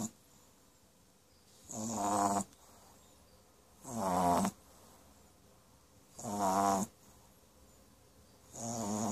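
A French Bulldog puppy snores in rough, rattling breaths repeated about every two seconds.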